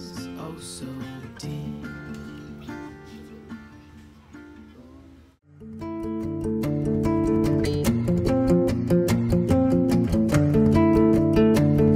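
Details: Acoustic guitar music, strummed and plucked, softer at first, then a brief pause and a louder, steady rhythmic strum.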